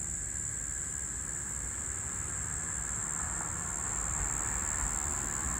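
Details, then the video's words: Brown Bunyip cicada (Tamasa tristigma), one or two males calling in a tree on 2023-03-12 as Floury Baker cicadas died off; a steady, unbroken, high-pitched shrill drone holds for the whole stretch above a low rumbling background. "Brown Bunyip Cicada Calling"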